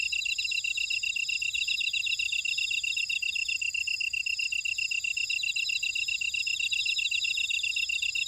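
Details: Grass insects calling in a buckwheat field in Ora-dong, Jeju City, on volcanic Jeju Island, South Korea: a dense, steady chorus of high-pitched trills and rapid pulsed chirps from several overlapping callers, with no other sounds.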